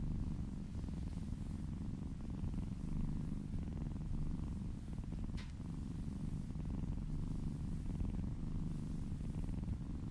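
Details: Contented kitten purring during a massage, low vibrating rumble held for the whole stretch, one brief sharp click near the middle.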